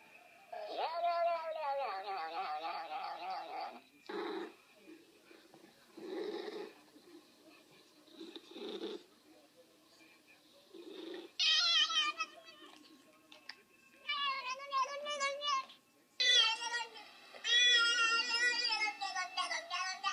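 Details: Pet cat producing strange vocalisations: quick trilled chirping bursts, several short low murmurs, then loud warbling meows and squeaky wavering calls near the end.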